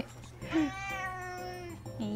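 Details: A house cat held close to a microphone during a live broadcast, making a drawn-out, wavering meow that holds steady and then trails off, overlapping the owner's soft cooing voice.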